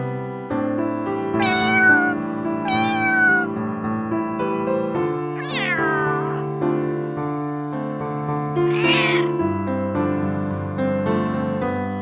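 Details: Cat meowing four times, each meow a short rising-then-falling cry, two close together early on and two more spaced apart later, over steady piano music playing throughout.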